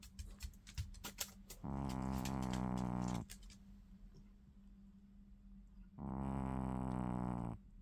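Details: Apophis the dog snoring indoors: two steady, low, buzzy drones, each lasting about a second and a half and spaced some four seconds apart, with faint tapping and soft room noise between them.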